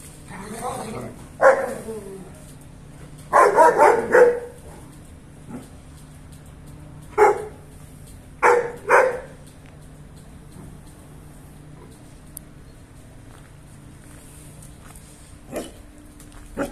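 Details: German Shepherds, a male and a female, during mating time give sharp barks in irregular bursts, some doubled or tripled, with long quiet stretches between and a low steady hum underneath.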